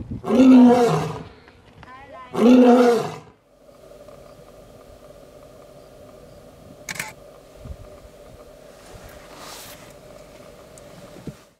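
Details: Lion, shown as a real animal, gives two powerful, harsh roars about two seconds apart at the start, followed by a low steady hum and near quiet, with brief speech in between.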